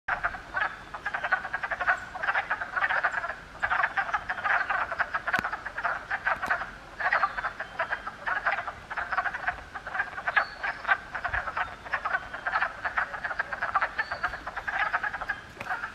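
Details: Frog. A thick chorus of frogs fills the air with overlapping croaking and trilling notes, mid-pitched and continuous. Short clicks and brief higher notes rise now and then above the steady wall of calls.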